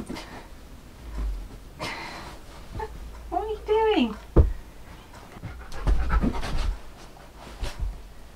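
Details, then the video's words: Pet Siberian Husky 'talking' while its owner does an ab workout: one wavering, tonal yowl that rises and then falls over about a second, framed by heavy dog panting and a person speaking nearby indoors. "Ab Workout With My Talking Husky! He’s a BAD Coach!"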